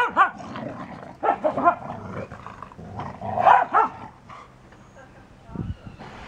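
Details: Dogs, a wet beagle and a dry English springer spaniel, giving short, harsh barks and yelping bursts in uneven clusters, with human speech between them.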